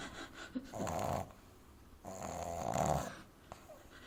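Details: Amy, a young French Bulldog, dozes in someone's arms and snores exaggeratedly loud; two drawn-out grating snorts, each about a second long, separated by softer breathing.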